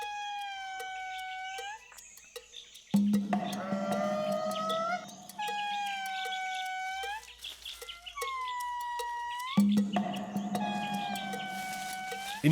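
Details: Indri family in Madagascar chorus with long, sliding, harmonic wails that overlap and answer one another, keeping contact with neighbouring families; the males' territorial calling lets these peaceful lemurs avoid fights while patrolling the boundary.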